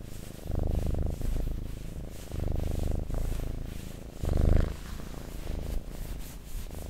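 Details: Cat purring in low, throbbing pulses that come in breath-length bursts, each lasting roughly a second, with one louder, fuller swell near the end and softer rumbling between.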